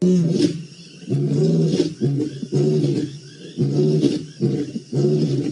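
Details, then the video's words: Lions in the Maasai Mara, recorded on 7 November 2017, giving a run of short, low, throaty grunts about once a second, heavy and harmonic, with some background hiss between the bursts. "Lions roaring in the Maasai Mara"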